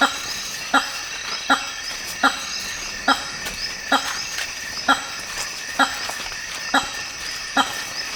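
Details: Male hammer-headed fruit bats (Hypsignathus monstrosus) in African rainforest give loud, blaring honks repeated steadily about once each second, calls used to impress females at leks.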